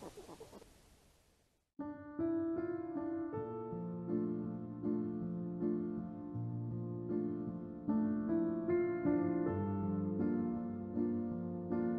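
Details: Soft rain-like hiss for under two seconds, then a short silence, then piano music to the end, with no grunting or other animal sound.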